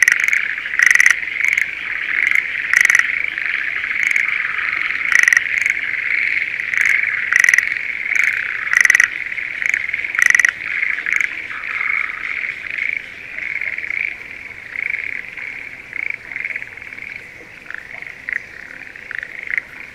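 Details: Breeding-season Schlegel's green tree frogs in a spring rice paddy near Sendai, Japan; sharp rattling notes break out repeatedly over a continuous chirring chorus for the first half, then the chorus carries on alone and slowly fades.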